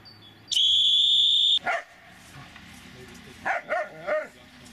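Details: Dobermann Magmar Von Der Burgstätte answers a steady high whistle tone lasting about a second with a sharp bark, then after a pause three quick yelping barks in close succession.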